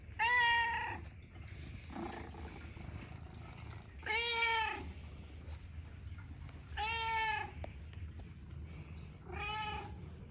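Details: Chatty pet Persian cat living in central Amsterdam welcomes its owner home, giving four loud, rich meows roughly every two to three seconds, some rising then falling, against soft room rumble.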